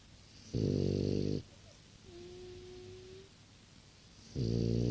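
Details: Six-year-old French Bulldog snoring: two loud, low, rumbling breaths about four seconds apart, with a faint steady tone between them.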